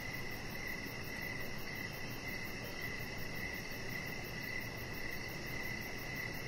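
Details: Crickets chirping on an evening outdoors beside a deck with a chihuahua puppy; a thin, high pulsing trill runs steadily through the stretch, layered over continuous low background hiss.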